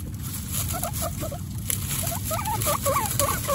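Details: Mother guinea pig Coconut beside her young Pistachio, Pumpkin and Snow, one of 29 pet guinea pigs: soft, wavering chirping squeaks that grow busier and louder in the second half, with a low background hum and light rustling.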